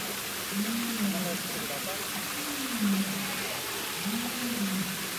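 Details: A Japanese macaque at a zoo park in Fukuoka, Japan, in April, gives low, smooth coo calls that rise and fall, repeated about every two seconds.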